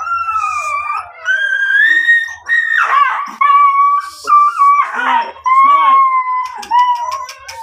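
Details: Miniature Dachshund brought for stud service breeding at Guesang, Mangaldan, giving wavering, howl-like whines held for a second or two each, with brief rustling noises and clicks between them.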